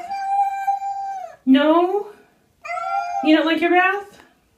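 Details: Cat saying no to a bath: a long, steady, flat-pitched meow followed by a harsher rising yowl, then a second drawn-out meow breaking into a rough cry, indoors.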